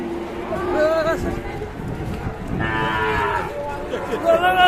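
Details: Raging, angry cattle from Indonesia give loud harmonic moos, a wavering call followed by a longer, strained bellow, with scuffling noise between calls.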